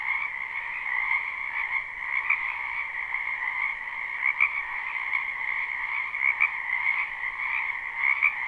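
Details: Dense spring chorus of many frogs in a wetland behind a house, recorded live without looping; a continuous trilling wall of croaks in two steady bands, middle and high, with slight brighter swells every couple of seconds.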